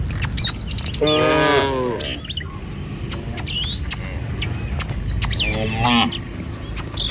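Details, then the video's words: Morning herd of tame cattle strolling along a village road on the way to feed in the fields; two short lowing calls a few seconds apart, clicks and footsteps, and lively bird chirps overhead. "Suara Sapi Mouu"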